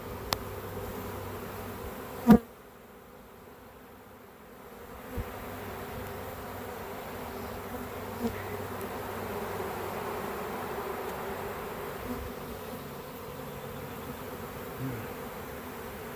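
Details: A honey bee swarm spotted in a home back yard gives a soft, continuous humming drone. A sharp knock breaks in early, and faint clicks and handling noises follow.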